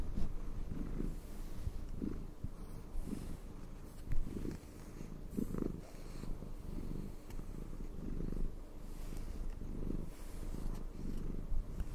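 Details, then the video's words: A pet cat's deep purr during brushing, even and low, rising and falling in gentle regular pulses about every second across the whole recording. "asmr cat purring and brushing"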